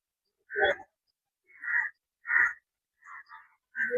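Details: Chital at Rangpur zoo, Bangladesh, giving short, harsh, breathy calls, each under half a second, spaced irregularly about a second apart.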